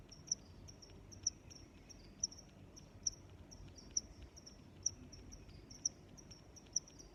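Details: Chirping cricket giving crisp high-pitched pulses roughly every second, fainter chirps from other crickets filling the gaps, against quiet low background noise.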